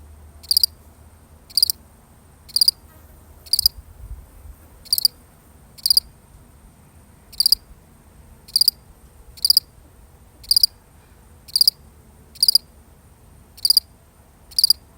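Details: Solitary cricket in a real recording, chirping steadily: thirteen short high-pitched chirps repeat about once a second in an even, patient rhythm above a faint low background murmur.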